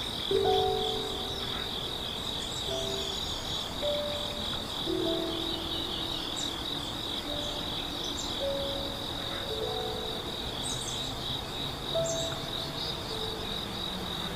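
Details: Grass insects in a forest on a morning in Yeongwol, Korea, at A Hundred Years Valley: a steady, unbroken high-pitched buzzing drone throughout, with short whistled bird notes scattered over it.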